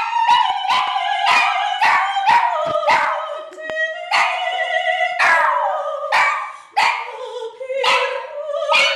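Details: Eddie, a pet dog, singing along with his owner, an opera singer: a run of short, yelping howls repeated roughly twice a second, each wavering and sliding in pitch, with no other clear sounds.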